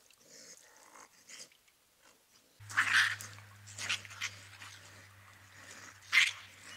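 Raccoons fighting at night, giving harsh, raspy screeches and growls in irregular bursts.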